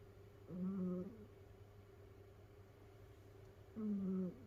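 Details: Snoring of a sleeping house cat, one of several rescued cats kept together: two drawn-out, tonal, nasal snores with a slight rise and fall, about three seconds apart, over a low steady room hum.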